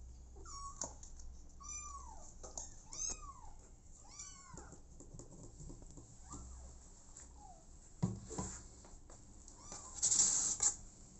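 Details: Abandoned kitten adopted by mother cat Smokey, crying in a quick run of five high arched meows about a second apart, then fainter calls, followed by thumps and a loud rustle near the end.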